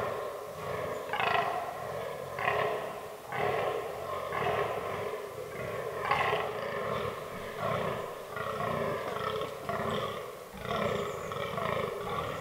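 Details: A fallow buck groaning in the autumn forest rut. Rhythmic, guttural belches repeat roughly once a second, each a short, harsh burst, in a steady series with small pauses.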